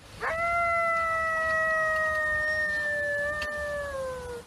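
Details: Coyote howl played as a comparison recording: a sharp rising onset sweeps up, then holds a long, steady, slightly falling tone with clear harmonics for about four seconds before tapering off; quiet background.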